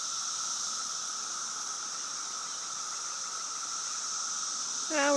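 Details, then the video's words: Backyard cicadas of the 2013 invasion keep up a continuous high droning buzz over a lower steady tone, with a person's voice breaking in at the very end. "Cicada Invasion 2013"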